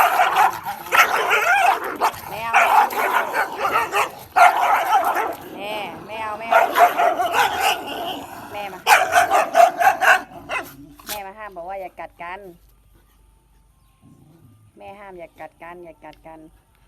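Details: Bangkaew dog named Baitoey, a very grimy female: a burst of loud, rough, rapid barks for about ten seconds, then sparse higher whining, yelping calls with a human voice nearby.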